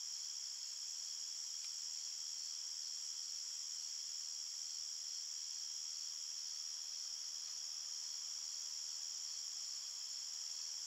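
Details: Chirping crickets in a nighttime forest form a seamless, high-pitched ringing chorus across several tones, with one faint brief click near the start and no other sounds.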